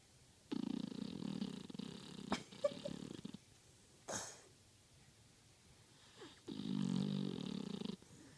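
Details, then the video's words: Taco, a sleeping Beagle, snores in deep, rough, rasping breaths about one and a half to three seconds long, with quiet pauses and a few small snuffles between them. "Snoring Beagle"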